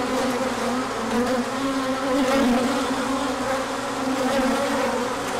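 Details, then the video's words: Large orientation flight of bees at a hive, 24 March 2024, when the sun returned after colder weather: thick, even buzzing of countless wings, a low hum with faint shifting pitch bands. "Large Orientation Flight"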